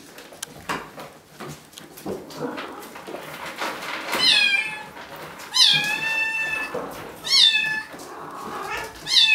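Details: Bengal kittens, three litters kept at Wildrose Bengals, two almost 8 weeks and eleven 5 weeks old. Four loud, bright meows, pitched high with a quick upward flick then falling, follow one another every second or two amid scuffling.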